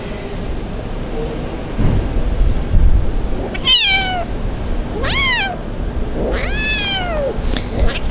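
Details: A kitten abandoned in the street cries out as it waits for rescue: three clear meows in quick succession, each rising sharply then falling away, the last one longer and arched, with soft low background noise beneath.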